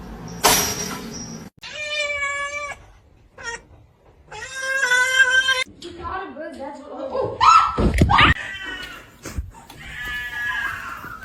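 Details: Fighting house cats trade drawn-out, strained yowls and meows in several separate bursts. The cries are steady and harmonic, with a wobbling low growl in the middle and some human voices mixed in.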